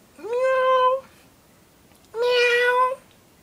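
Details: Two clear meows from pet cats at play indoors, each about a second long with a rising start and a steady harmonic tone, separated by a short quiet pause; the second meow is louder and brighter.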